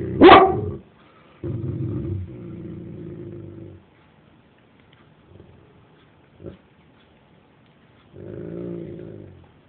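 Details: Dobermann barking angrily at noise from outside: one sharp loud bark, then long low rumbling growls lasting two seconds and more, a brief quiet pause, another growl near the end.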